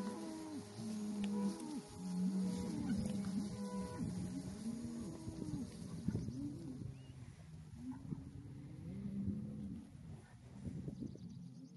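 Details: Hereford bulls calling: overlapping low moaning bellows from several animals, continuous and uneven through the clip, with some higher wavering tones mixed in.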